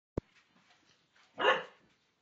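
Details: Cane Corso named Sira with her favourite blanket gives one short, rough bark about a second and a half in, preceded by a single sharp click; otherwise quiet.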